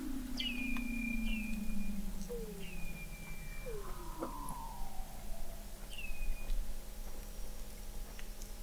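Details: Under sea ice at McMurdo Sound, Antarctica, November 2017, Weddell seals call from 21 m deep: a long low descending moan, repeated short high chirps that drop then hold flat, and falling glissandos midway.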